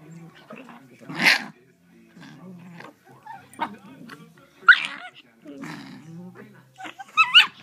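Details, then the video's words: Cream Shiba Inu littermate sisters, aged three and a half months, talking to each other: soft grumbles and scattered short yelps, with louder squeaky wavering whines near the end. "Two Shiba Inu Puppies Talking"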